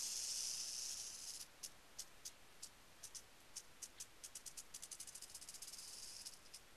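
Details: Northern Pacific rattlesnake, Crotalus oreganus: a loud continuous high hiss that breaks off into short separate sharp bursts, repeated irregularly, then builds back into a steadier sizzle at the end.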